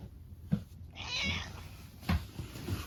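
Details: A tabby house cat indoors greets its owner with an affectionate, attention-seeking meow. One drawn-out, bright meow sounds in the middle, framed by light taps and handling noises.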